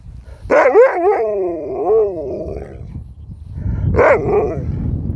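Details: Pet dog Sherpa "talking" nonstop to his owners: a yodelling, wavering howl-bark with sliding harmonic pitch bends over about two seconds, a pause with rumbling background noise, then a shorter second yowl.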